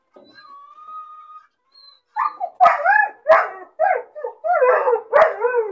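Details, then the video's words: Bored, lonely puppy shut in a cage alone: a steady thin whistling whine, then a quick series of yips and barks with curving, wobbling pitch, about half a second apart. "Puppy crying and barking sound , loneliness and bored puppy cries"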